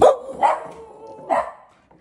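A Samoyed gives three loud, bark-like yowls joined by a thin, drawn-out howling tone.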